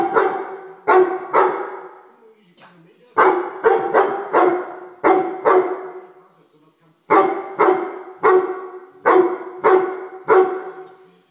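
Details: Excited grey Weimaraner scolding a common house fly with rapid runs of loud barks, two to five barks per burst, the bursts separated by short pauses.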